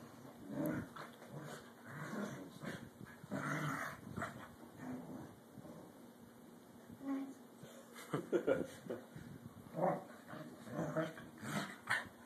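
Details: Two pet corgis playing indoors and vying for dominance: low rumbling growls and short grunting bursts come in uneven spurts, with a few higher yelping notes near the end.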